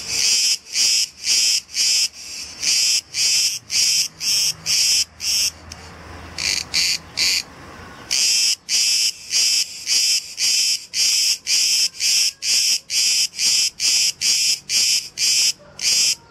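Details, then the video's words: Cicadas, numerous in the trees, a pair that has just finished mating; loud harsh buzzing bursts pulsing about twice a second, with a brief quieter gap midway before the rhythmic buzzing resumes. "Cicada mating"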